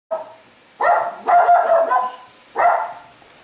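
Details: A Chihuahua confronting a Maine Coon cat gives a short sharp bark, then two longer, harsh, harmonic barks close together, and a final bark after a pause of about a second.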